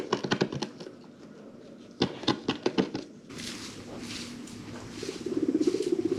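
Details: Pet guinea pigs from a herd of five rescued animals, kept indoors: a burst of short rapid squeaks and clicks, a pause, another cluster near two seconds, then softer rustling and a low rising chatter toward the end.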